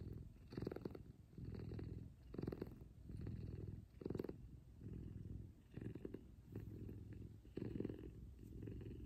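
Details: Morning cuddle purring from Kumba, a large F2 Savannah cat: thick low vibrating drone broken into breath-length pulses, some slightly stronger and rougher, repeating at an uneven two-second rhythm.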